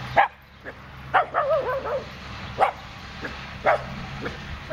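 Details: Italian Greyhound Dasher playing and racing with two of his sisters while neighbours run a noisy branch-chipping machine; sharp yips come in quick bursts, one wavering, whining bark in the middle, over a steady low mechanical hum.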